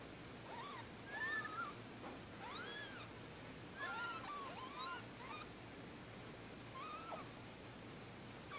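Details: Orphaned kittens only two to three days old, motherless after a car killed the mother cat in Middletown and now bottle fed; several high arched mews overlap in quick clusters against a constant hiss.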